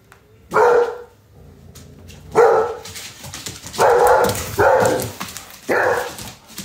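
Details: Frightened redbone coonhound bitch calling her Doberman brother for protection after a scare from her owner: five loud, drawn-out baying barks spread irregularly across seven seconds, each harsh with a tonal center, separated by quiet gaps.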